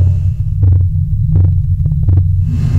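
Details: A blue whale's deep, throbbing call hums low and steady, a long-distance call to other whales, thought mostly to say "I'm here" or "where are you".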